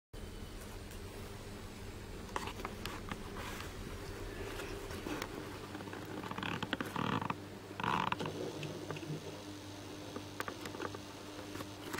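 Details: A steady mechanical hum with scattered taps, clicks and two brief rustling bursts, and no clear bird calls.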